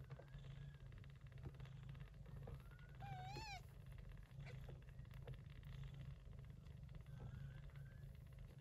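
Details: Mother Persian Chinchilla cat, gray and short-haired, looking after kittens born during a September typhoon. A deep, even purr drones the whole time, interrupted once by a brief wavering kitten mew and a few soft clicks.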